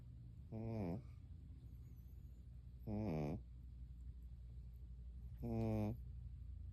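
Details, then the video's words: Sleeping dog snoring like a human; three short, harmonic rasping snores, each about half a second, spaced roughly every two and a half seconds in a quiet room. "사람처럼 코고는 강아지 (Dog snoring like human)"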